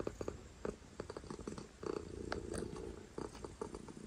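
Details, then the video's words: Domestic cat purring loudly indoors: a low rumbling purr broken by frequent soft clicks and taps, growing into a steadier stretch midway through. "Loudest Cat Purrs"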